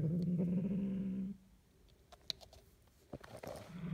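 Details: Male pet cat growling indoors while guarding its toy: a low, steady rumbling growl for over a second, then quiet with faint rustling and a woman speaking, and the growl starting again at the end.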